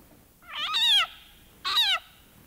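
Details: A leopard frog, mouth open, gives two loud, cat-like screams, each a harsh wail that slides downward.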